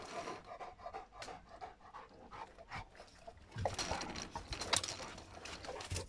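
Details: An 11-month-old Cane Corso playing with an older German Shepherd; rapid, breathy panting and snuffling throughout, with scuffling and rustling movement noises that grow busier toward the end.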